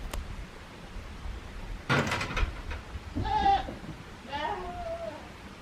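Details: A young goat kid named Daizu at Yoshigake Farm, a handmade goat farm in Japan, recorded 24 March 2021 on a warm spring day; two short wavering bleats after a sharp knock, with a person calling softly.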